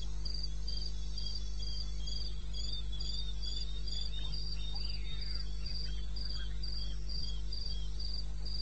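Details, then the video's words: Eastern Botswana wilderness at 2:30 am on 21 May: crickets trill in rapid, regular high chirps near four per second, a second insect weaving below, faint scattered clicks and a constant deep hum. "1 Hour cricket sound"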